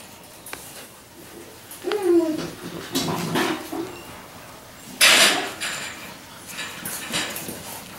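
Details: Labrador Retriever puppies at five weeks, litter Q6: a brief, wavering whimper with a rising tonal yelp, then rustling, scuffling and knocking noises and a loud burst of clatter midway.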